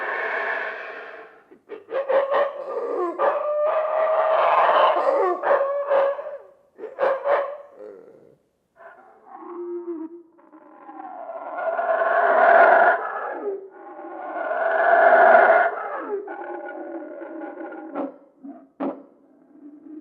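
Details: Yucatan black howler monkeys (Alouatta pigra) in quiet cloud forest roar in deep, rasping, surging long-distance bursts that swell and fade, on a beautiful morning.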